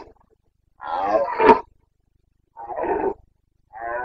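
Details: Breeding-season roaring of a Carpathian stag in the forests of Bucovina, 29 September 2022: three deep, rasping roars about a second apart, the first the longest and loudest.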